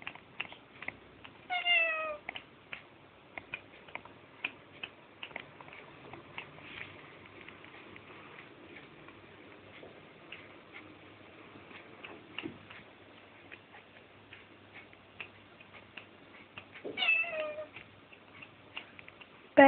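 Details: A pet cat named Pao indoors gives two clear meows, a short harmonic one near the start and a rising-then-falling one near the end, separated by a long stretch of soft ticking and tapping.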